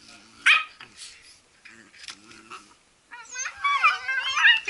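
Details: Playing Blue Heelers: a single sharp yip early, soft murmuring between, then a run of excited high-pitched, warbling whines and yelps building toward the end.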